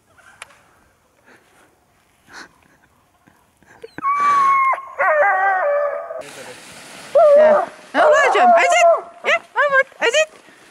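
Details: Alaskan Malamutes, the owners' oldest dogs, out skiing in snow; after near-quiet opening seconds, overlapping high wavering howl-like whines and short yips rise and fall, several voices at once, with brief pauses between bursts.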